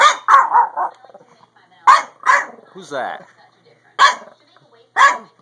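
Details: A Chihuahua-Pug mix dog at a window watches neighbours moving in across the street on March 22, 2015, giving sharp, high-pitched barks in quick bursts, with a person talking between; early audio is muted.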